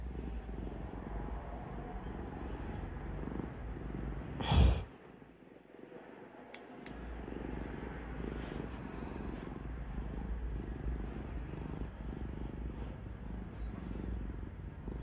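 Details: Kuro, a black cat that dislikes having her claws clipped, purrs through a clipping session indoors; steady low rumbling purr throughout, broken by a loud sharp clipping snap near the middle and a few small clicks.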